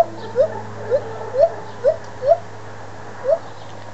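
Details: Two white-handed gibbons at the Toronto Zoo calling excitedly; short rising hooting notes repeated about every half second, seven in four seconds, over a steady low hum.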